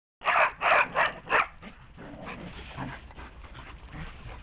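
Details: Dog barking through a fence, a quick burst of four sharp, loud barks in just over a second, followed by quiet background hiss and faint low noises.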